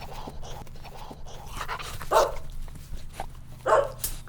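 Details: Puppies running and playing together on a green grassy meadow, giving two short, sharp barks about one and a half seconds apart over a low background hum.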